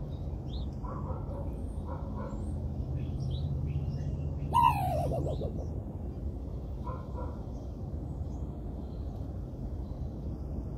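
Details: A single harsh raccoon bark, abrupt and falling in pitch over about a second, amid low steady background noise and a few faint bird notes.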